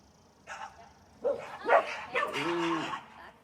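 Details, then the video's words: Leashed dog reacting to passers-by with lunging and barking: a few harsh, irregular barks ending in a drawn-out tonal whine, with faint background noise. "How to stop your dog from lunging & barking at others on leash."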